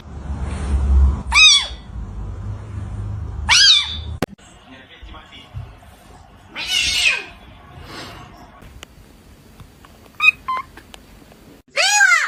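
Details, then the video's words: Kitten meowing at home: three clear, separate arching meows that rise then fall, spaced several seconds apart, with quiet gaps between. Softer indistinct sounds fill the middle. "Kitten meowing"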